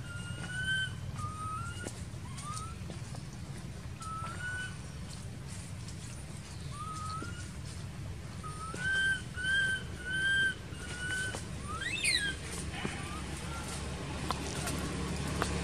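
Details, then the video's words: Baby monkey living in an archaeological park cries, uncared for by its mother: scattered thin arched whistled wails, single at first, then a quicker cluster of four, followed by a brief high squeal, over steady low background noise. "Poor Baby Monkey Crying Without Caring From Her Nasty Mom Monkey"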